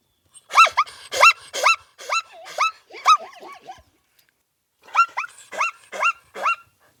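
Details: Zebra calling in two bouts of sharp, yelping barks with rising-falling tone, about two per second, four to six in a row, separated by a short silence; no other sounds.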